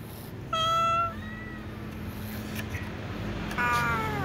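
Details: Cat meowing to ask for food among other cats: a loud, clear, slightly falling meow of about half a second, then after a pause a second drawn-out meow that bends downward, over a low steady background hum.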